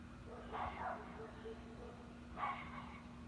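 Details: Dogs barking on a Sunday evening in a small town: two short, rough barks about two seconds apart, heard at a distance over a steady low hum with faint murmuring voices.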